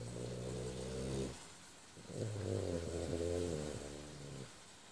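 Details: A French Bulldog snoring in deep sleep indoors: two long, low, rumbling snores, the first about a second long, the second a rattling, harmonic-rich breath lasting over two seconds, with a quiet pause between.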